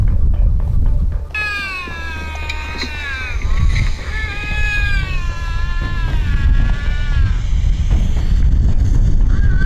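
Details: A Eurasian lynx gives a wavering, drawn-out, cat-like fighting yowl, deeper than a house cat's meow, over low rumbling noise; heard in snowy wild terrain in Turkey, within lynx territory during the mating season.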